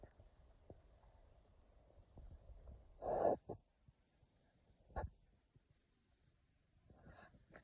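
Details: Kumo, a Keeshond, excitedly hunts for a bunny hidden in the plants: one loud, sneezy snort bursts out near the three-second mark, a shorter puff follows about two seconds later, with soft sniffing and breathing between.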